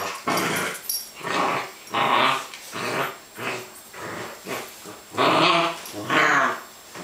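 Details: Playful growling from Holly, a female Welsh Springer Spaniel, during her first meeting with Dexter on a wet 3 July 2012: harsh rumbling bursts repeating roughly once a second, some rising into higher, strained snarls.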